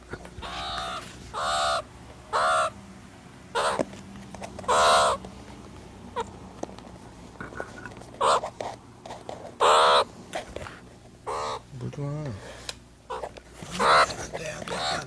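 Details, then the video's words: Meerkat vocalizing with repeated harsh, harmonic cawing cries in irregular bursts over a noisy background, some calls longer and wavering, others short. "MEERCAT SOUND EFFECT 미어캣 울음소리"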